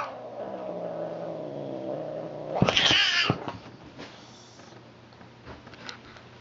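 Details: Indoor domestic cat objecting to sharing a recliner with another cat: a long, low, wavering growl-moan that rises into a sharp, harsh yowl and hiss burst, then fades into quiet rustling; steady electrical hum throughout.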